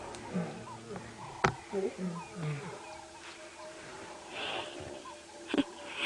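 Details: Lion cubs of the Nkuhuma pride call at sunrise on 13 September 2016, early summer, near a buffalo carcass. They give short, low moaning mews in quick succession while playing and ignoring their mother's calls, as a person speaks softly.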